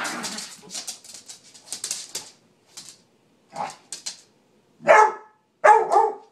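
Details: Small dog Samantha, fed up with the noise of Nugget's squeaky toy, barks indoors: a run of rapid high toy squeaks fills the first two seconds, then three loud, sharp, separate barks follow at roughly one-second gaps.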